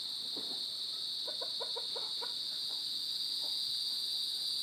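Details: Crickets chirping in a steady high continuous trill, with a fainter second band above, recorded January 23, 2021 in the afternoon; soft low clucks or bird notes briefly heard underneath.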